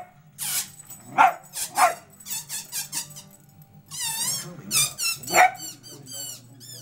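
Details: Pet Dachshund reacting to a balloon squeaked as air escapes, giving a few rough, bark-like rumbles between long, shrill, wobbling balloon squeals, with people talking softly.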